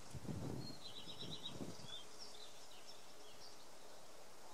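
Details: Large black carpenter bee in a garden in Samara Oblast, Russia, May 2018: two short, low droning buzz bursts in the first two seconds, then quiet garden air with thin high bird chirps throughout.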